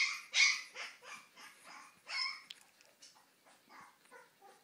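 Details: Two-week-old Siberian husky puppies, eyes just opened, give high, squeaky yelps and whimpers in quick, uneven bursts.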